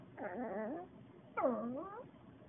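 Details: Talking Maltese dog: two long warbling moans, each rising and falling like speech, separated by a pause, with a person repeatedly asking what it wants.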